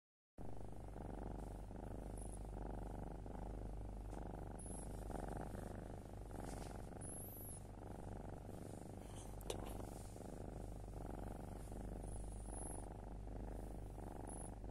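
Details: A black foster kitten purrs steadily at night, a low continuous rumble with a gentle rhythmic pulse; this is its last purring before moving to its adoptive home, 18 July 2022.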